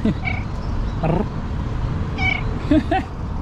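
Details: Calico domestic cat trilling and meowing while talking to its owner; short chirpy trills and a brief meow break through, mixed with the owner's speech and a steady low rumble in the background.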